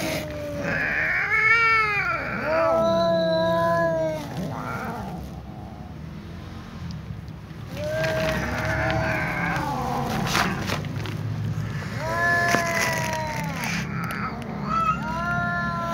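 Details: Ginger cat meows, one cat lying exhausted while a new ginger cat comes back and joins in; repeated arched, wailing meows in bursts, a quieter pause midway, then more rising-and-falling calls over constant low background noise.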